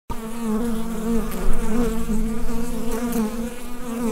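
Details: Bees buzzing inside a hive, recorded with a USB microphone: a dense, steady low drone with layered overtones and small swells in loudness, plus a few faint ticks.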